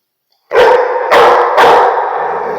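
A Rottweiler gives three deep, loud barks in quick succession, each about half a second apart.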